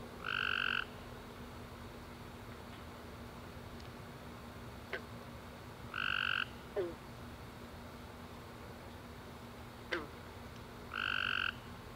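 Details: Tree frogs calling at night following a warm rainy summer day, three loud buzzy chirps spread widely over twelve seconds, between them soft scattered clicks and short falling chirps over a steady low drone.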